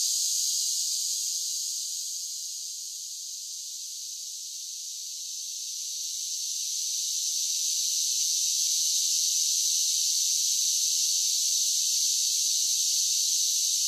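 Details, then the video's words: Summer cicadas singing: a dense, steady, high-pitched shrill buzz with no pauses. It softens for a couple of seconds near the start, then swells back to full strength. No other sounds. "10 Hours of Cicada Sounds for Relaxation with Soothing Summer Nature Sounds"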